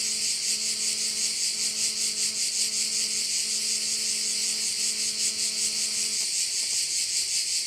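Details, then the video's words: Crickets at one of Korčula's bays fill the air with a bright, buzzing high chorus, pulsing evenly. Beneath it a low droning tone holds for about six seconds, then fades out. "View of one of the bays in Korcula with sounds of crickets"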